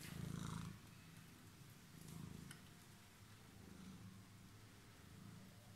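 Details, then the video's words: Homeless cat found waiting on the stairs gives a soft low purr in several short swells, the first loudest, over faint background hum. "Cat was waiting for me in the stairs"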